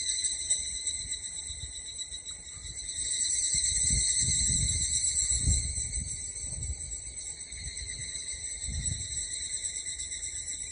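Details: Evening cicadas in a loud summer-evening chorus at Hakone Yunohana Onsen, Japan, on 17 July 2013. Dense, continuous high ringing bands hold steady throughout, swelling slightly mid-clip, over a low rumble of wind.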